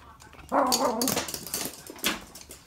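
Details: Two pet Toy Poodles, each playing with its own stuffed toy indoors; one gives a short, tonal, harmonic whine lasting about half a second, followed by clicks and rustling from the play.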